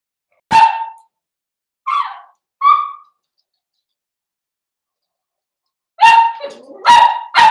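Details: Blenheim Cavalier King Charles Spaniel puppies, a litter of five born at New Year, at play with their mother indoors; single sharp barks and short yelps, then a burst of three loud barks with a whine between them.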